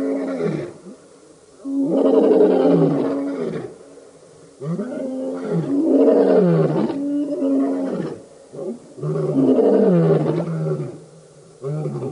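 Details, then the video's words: Male lion coalition roaring at a dam, Djuma Game Reserve in Sabi Sand near Kruger, South Africa, August 2016; repeated deep grunting roars about every two seconds, each a rough, falling bellow. "Birmingham Boys roaring at the dam"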